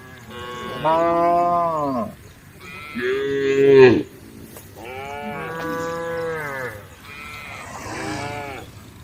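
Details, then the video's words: Tame cows on a road calling to the herd: four separate moos, each rising then falling, the second harsh and loud, spaced about two seconds apart with low background noise between. "the sound of cows calling the herd"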